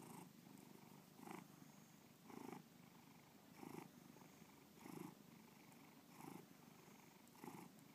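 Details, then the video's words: Pet cat Bubba purring indoors, the rumble pulsing in regular waves a little over a second apart, each inhale-exhale cycle clearly marked by a louder swell. "Bubba Purring"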